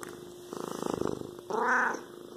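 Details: Pet cat giving a steady, throbbing purr of rapid even pulses for about a second, followed by a short, clear, harmonic meow that rises and falls.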